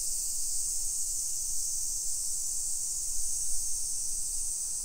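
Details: Summer cicadas at 1 PM on 28 July 2021 in a hillside residential area of Nisshin, Aichi, Japan, heard while walking. A dense, even, high sizzling buzz continues without pause over faint low walking noise.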